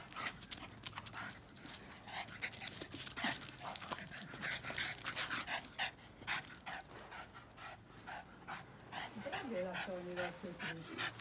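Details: Boston Terrier named Yoda, at play with his ball and worked up at a broom, breathing in fast, rhythmic, breathy pants over several seconds, with a human voice speaking near the end.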